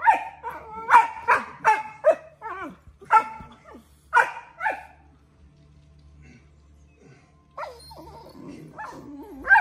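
Australian Shepherd puppies squabble over a bone with sharp, rough yaps and growly yips.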